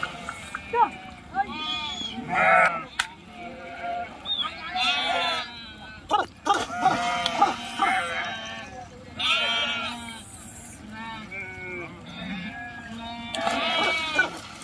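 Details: Sheep swimming in a river during a crossing; many sheep bleating in a busy overlapping chorus of wavering calls, interspersed with sharp splashes and clatter.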